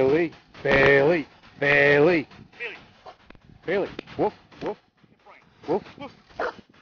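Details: Corgi named Bailey riding in a basket on a trike gives two drawn-out, wavering howl-like cries, then a run of short rising yips, while a person repeatedly calls its name.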